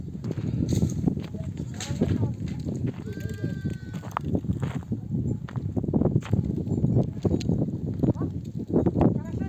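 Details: Mother sheep of a nomadic flock, back from desert pasture, bleat to call their lambs to nurse. One drawn-out, harmonic bleat rises midway, set against people talking in Turkish and the steady shuffling and rustling of the flock.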